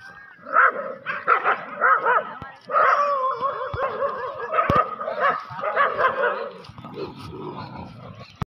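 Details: Desi dogs fighting aggressively: harmonic snarling growls and yelping barks in overlapping bursts, some rising and falling, with a brief lull near the end before a sharp click.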